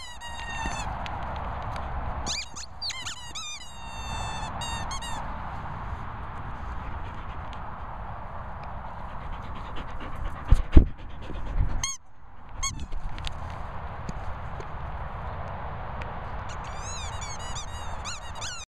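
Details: Daisy, a German Shorthaired Pointer, gives bursts of high, wavering squeaks near the start, around two and a half and five seconds, and again at the end, with steady low background rumble and a loud thump near eleven seconds.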